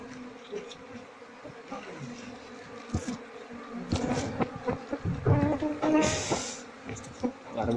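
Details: Queenless Asian honey bee colony with honey-filled combs and no larvae, during beekeeping work. A continuous low drone is broken by rising clatter and rustling of handled combs, and a man speaks faintly.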